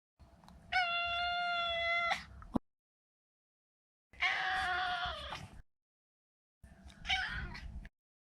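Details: Neutered male Maine Coon pet cat meowing three times: a long, even, clear meow, then a rougher falling one, then a short harsh one, with pauses between them.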